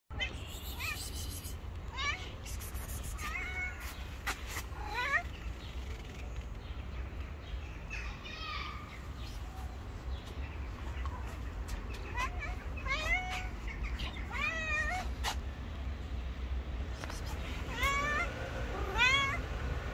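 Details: Angry white cat refusing to let anyone approach; repeated short, strained meows with wavering pitch scattered across the recording over a steady low rumble of background noise.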